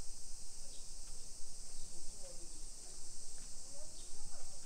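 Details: Cicadas singing in summer in a modern hillside suburb near Nagoya, Japan, at 1 PM, 28 July 2021: an unbroken high hiss-like buzz, with faint voices and scattered short chirps underneath.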